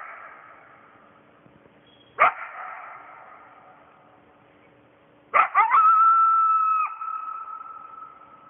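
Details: Lone coyote at night right by a house, howling for the rest of its pack: two sharp barks with echoing tails, then a burst of yips rising into a steady, drawn-out tonal howl lasting over a second, with a fading echo.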